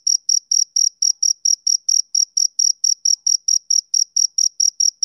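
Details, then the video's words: Rhythmic chirps of a male cricket on a summer evening, bright and high-pitched, evenly spaced at roughly four to five per second, with nothing else audible. "Cricket Chirping Sound Effect"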